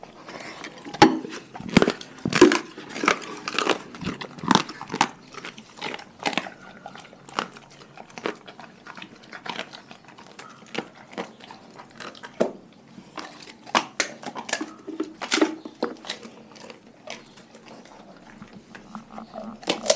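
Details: Pack of dogs eating a raw food diet: irregular sharp crunches and bites, some in quick bursts, others spaced by short pauses, with softer chewing and licking between them and no other clear sounds.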